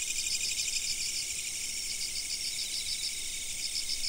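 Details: Insects calling, recorded with a fixed camera: a dense, shimmering high-pitched chorus with a rapid train of pulsed chirps that pauses briefly, then resumes near the end.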